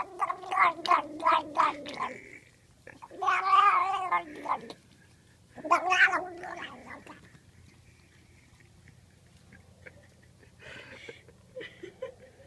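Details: Pet cat being scratched, which it loves, making a funny sound: three bursts of throaty, gargling, warbling yowls, each lasting one to two seconds, separated by short pauses, then softer faint mutters near the end.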